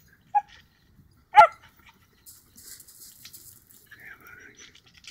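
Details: A female Basenji mix sighthound rescue dog, just under 35 lbs, gives a brief soft yelp then one loud, abrupt bark while chasing a squirrel cornered in a tree at a dog park; faint rustling and a thin whine follow.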